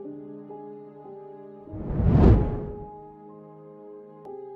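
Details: Sustained ambient music chords with a brief whooshing swell, and no animal sound.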